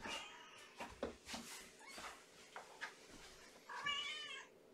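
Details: Domestic kitten Amber, a hungry little female from a litter of five born April 14 to mother Gamora, at bedtime feeding in an indoor kennel; one clear rising-falling meow near the end after scattered rustling and small noises.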